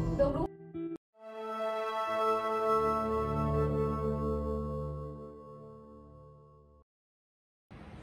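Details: Soft instrumental music with sustained tones swells and fades, briefly broken by silence, with a short burst of speech-like sound at the start and end; no animal sound is heard.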